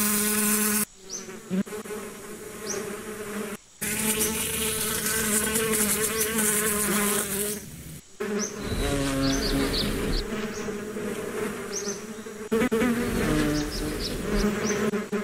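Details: Humming bees fill the air in a calming nature recording, a dense droning buzz with layered overtones rising and fading as individuals fly near, interrupted by a few abrupt gaps, while small bird chirps flicker high overhead.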